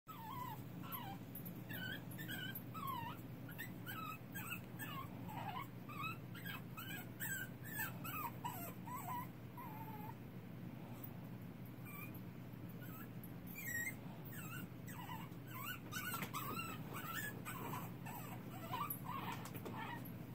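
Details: Young puppy crying in the dark: a steady run of high, thin whimpers with short falling and rising squeals, closely spaced through the whole stretch over a constant low hum.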